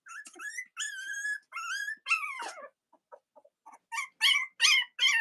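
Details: Cavalier King Charles Spaniel puppies from Robin and Myra's litters, filmed on a chilly Monday morning near Halloween in the US; loud high whining cries, drawn out and wavering, then a run of quicker yelping squeaks.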